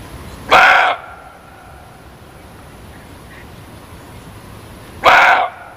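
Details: Muntjac (kijang) barking twice, each a harsh, loud bark of about half a second, spaced roughly four and a half seconds apart, with steady low hiss between.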